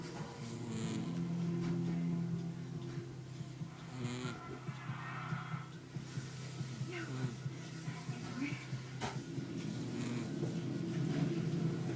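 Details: Television music and speech play indoors over a low steady hum, with no animal sound standing out.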